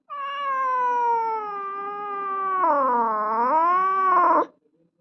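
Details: Cat giving one long drawn-out meow lasting over four seconds, a clear harmonic tone slowly falling in pitch, then dipping and rising again in a wavering, yowling ending before stopping abruptly.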